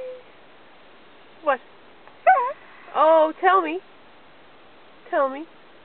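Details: Robbie, an Australian Cattle Dog learning to speak on command, answers indoor coaxing with a string of short, bent, whiny yodels. Each rises and falls in pitch, coming in separate bursts with pauses between them.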